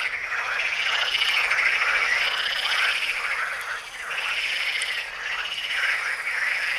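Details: Frogs calling at the Tyre Necropolis in Lebanon: a dense, continuous chorus of rapid rasping croaks that overlap and swell and dip in loudness over several seconds, with no other clear sounds.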